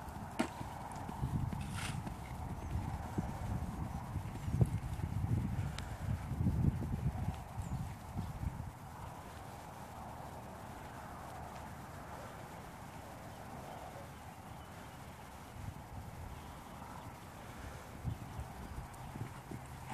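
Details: Dutch Warmblood horse: muffled, low hoof thuds in an uneven rhythm through the first half, then quieter scattered steps over a constant low hum, with a brief sharp click near the start.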